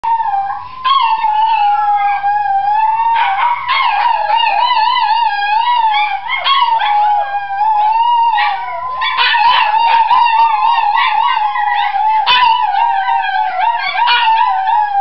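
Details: Three dogs, Enzo, Iris and Basilio, howling together in chorus: a sustained wavering howl holds steady near one pitch throughout, while higher overlapping howls and yips rise and fall above it in repeated bursts.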